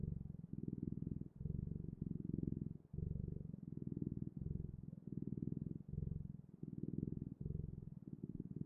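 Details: Domestic cat purring steadily, a low rumbling drone broken into rhythmic in-and-out pulses roughly every half second to second, close and quiet, with no other sounds.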